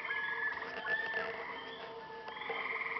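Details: Frogs calling at night at a lake in Maine, many overlapping pulsed trills and rattling croaks forming a dense, continuous chorus with no pause.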